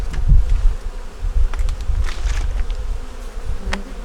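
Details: During a winter hive check of a honey bee nuc with a yellow queen laying eggs: a low, even murmur of bees throughout, broken by a few sharp taps and light rustling.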